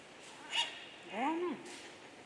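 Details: Ten-day-old giant panda cub, born 22 November 2020 at Adventure World in Shirahama, Wakayama, Japan, being measured: a brief high squeak, then a rising-and-falling squealing cry lasting about half a second, in a quiet room.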